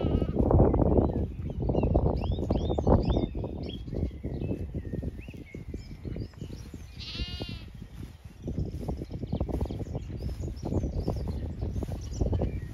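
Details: Grazing Zwartbles flock in late afternoon on a County Kilkenny farm in Ireland; one wavering bleat rises midway through constant low munching and hoof shuffling, while small birds twitter faintly overhead.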